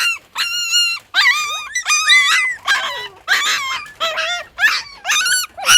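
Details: Puppy crying: a rapid series of short, high, quavering whines and yelps, about ten cries in under six seconds, some rising and falling sharply in pitch, from a litter of six newborn puppies.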